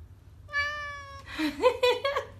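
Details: Domestic cat talking in a funny compilation: a long steady harmonic-rich meow lasting under a second, followed by a burst of short chirping, wavering meows with rising and falling pitch, indoors.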